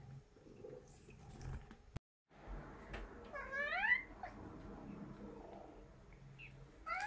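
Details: Pet cats at home in Japan in early autumn, September 2021. One rising-then-falling meow sounds midway through, amid quiet household noise and a short gap of silence.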